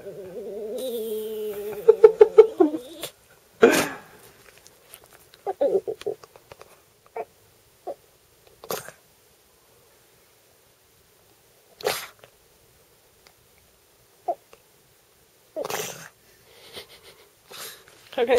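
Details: A house dog that wants a pen gives a pulsing, wavering whine for about three seconds. Near-silence follows, broken by scattered clicks, taps and brief rustles.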